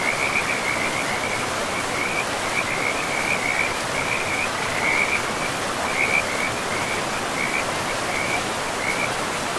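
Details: Frogs by a river in a pristine, moss-covered forest, a steady series of short, pulsed, high chirping calls repeating almost without pause over a constant rushing wash of flowing river water.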